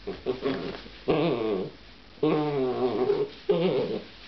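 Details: Giant schnauzer puppy, seven weeks old, together with a young bull terrier. It makes three long, rough, harmonic growling bursts, each about half a second to a second long, separated by quiet pauses in a small room.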